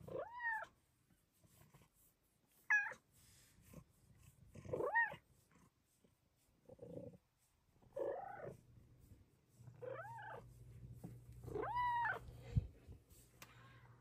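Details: Female Bengal cat chatting with her owner indoors, giving about eight short arched meows and chirps spaced irregularly over fourteen seconds, some rising sharply, with a low hum underneath and soft purring or grumbling between calls.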